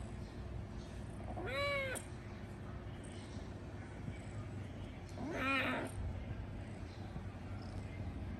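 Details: Domestic cat giving two rising-falling harmonic meows about four seconds apart over a steady low hum, softer and farther off.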